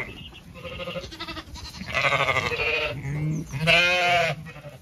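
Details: In a blossoming orchard in County Kilkenny, Ireland, Zwartbles sheep call over one another during an evening walk; overlapping, vibrato-rich bleats swell and fade, ending in one loud, wavering cry.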